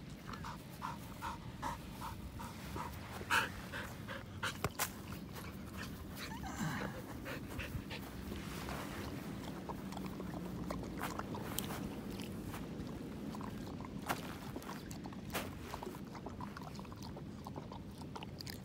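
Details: Pasepon, an elderly white Samoyed, on a lawn outdoors; soft rhythmic panting puffs run through steady wind rumble, broken by scattered clicks and knocks.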